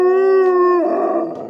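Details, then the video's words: Alaskan Malamute at home, one of three in the household, giving a steady, clear, held howl that breaks into a rougher, noisier tail after under a second. "Who's Who of Howling"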